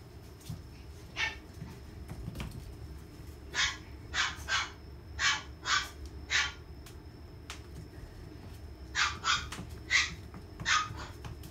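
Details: Female Papillon playing fetch barks in sharp, short yaps, about twelve in all, coming in quick clusters of two or three with pauses between, over a low steady background hum.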